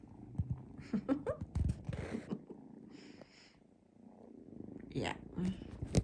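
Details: Several foster kittens, three at once, climb on a man lying on a bed, purring in a low, steady rumble beneath his soft talk, with rustling and handling noises.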